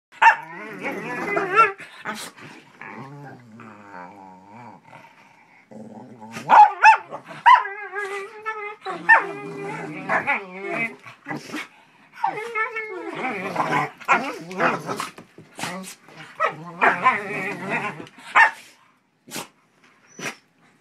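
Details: A pit bull puppy antagonizes its shepherd companion during play: overlapping growls, grumbling harmonic whines and short sharp barks in bursts for most of the clip, with brief quiet gaps and a silent ending.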